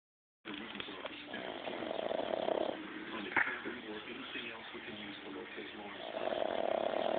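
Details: Benji, a dog, snoring loudly while asleep: two long, rasping breaths roughly four seconds apart, each lasting under a second, with a brief sharp click between them and a steady low murmur underneath.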